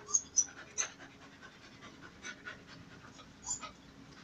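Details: Dobbie, a male dog, courts Emjay, a female in her heat season, with rapid, breathy panting. A few sharp, high clicks sound in the first second.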